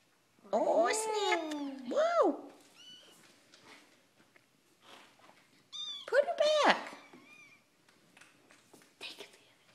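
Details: Three-week-old kittens, born 4/12/2012, indoors, their eyes just starting to see; loud high mewing cries in two bursts with falling and rising tones, people talking softly in between.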